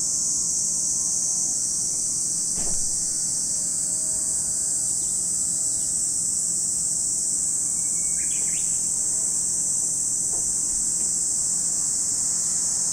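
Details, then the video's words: At Lake Kamo, Sado City, Niigata Prefecture, Japan, cicadas keep up a continuous shrill buzzing drone without pauses; a short bird chirp cuts in past midway, with a single dull knock early on. "Lake Kamo in Sado City, Niigata Prefecture, Japan, where you can hear the voice of cicadas."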